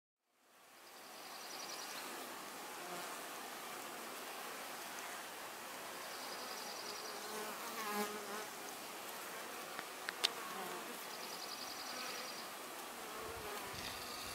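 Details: Honey bees at their hive, a dense, steady buzzing that fills the whole stretch at an even level, with a few faint sharp clicks near the end.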